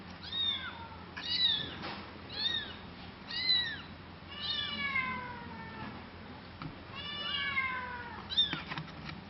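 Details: Cat meowing about eight times: high, arching, whiny meows, each falling at the end, spaced about a second apart, some drawn out and wavering, in a quiet indoor room.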